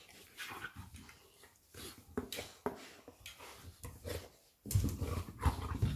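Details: Labrador Retriever Lilly and her puppy Molly at play: rough low growls and scrabbling noises, quieter at first, then a louder, denser bout of growling during the final second and a half.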